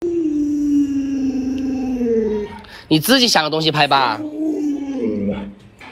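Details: Pet Alaskan Malamute Luoluo howling indoors while its owner scares it with a mask: a long, level, drawn-out tone sliding gently downward, broken midway by a brief burst of voice-like sounds, then another sustained wail.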